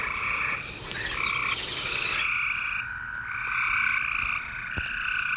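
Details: Overlapping green frog croaks form a continuous buzzing chorus, busier and noisier in the first two seconds, then settling into steadier drawn-out nasal notes.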